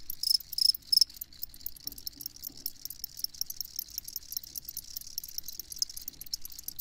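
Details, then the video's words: A few loud high chirps open, then crickets keep up a softer, fainter chorus of rapid pulses against quiet low background noise. "Crickets Chirping"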